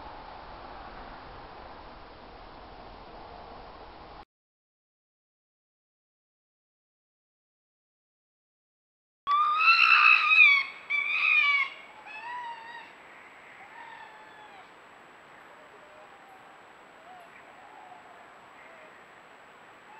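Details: Red fox calling: a few seconds of steady background hiss, a silent gap, then a loud burst of harsh, harmonic cries that fade into quieter, scattered calls over low noise.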